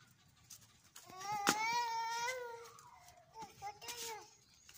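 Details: Angry dog letting out a long, wavering harmonic howl that holds steady for about two seconds, followed by a few shorter broken whines.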